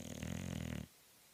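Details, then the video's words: Bulldog snoring hard, lips fluttering: one rough, low rumbling snore lasting under a second, with a buzzing rattle, then quiet. "Bulldog snoring hard"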